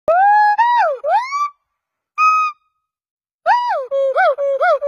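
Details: Gibbon giving clear, hooting calls. The notes slide up and down in pitch, with a long opening note and then rapid wavering phrases. They come in bursts separated by silent pauses, and the voice is strong and pure in tone.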